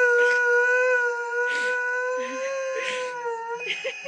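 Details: Lurcher howling at a window for his greyhound companion to come home from her walk: sustained, even-pitched rich howl held for several seconds, with a person's voice and faint rustling breaking in over it.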